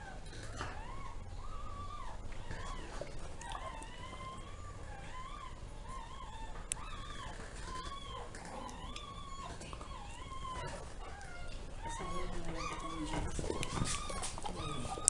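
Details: Zoe, a dog giving birth to ten puppies, six female and four male: thin, high whining squeals from newborns, each arching up and down, come in quick overlapping runs of several per second, with low rumbling handling noise underneath.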